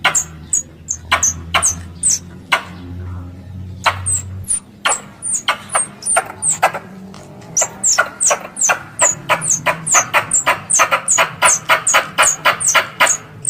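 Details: Hunting-lure recording of a squirrel: scattered sharp chips at first, then a long fast train of clicky, squeaky notes building in pace, with a low droning hum in the background.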